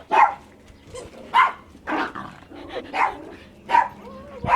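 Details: A brown Chihuahua barking at a white dog while the other dog fetches a toy: a quick series of about seven short, sharp, mid-pitched barks in under five seconds, with a quiet background between bursts.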